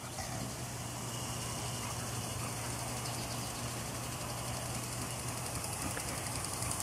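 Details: Steady broadband outdoor noise with a constant low hum continues throughout, with no animal calls.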